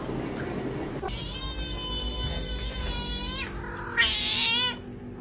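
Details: Domestic cat giving a long, loud, drawn-out meow with rich stacked harmonics that holds steady and then bends downward, followed by a brief higher wavering cry, over a constant background hum.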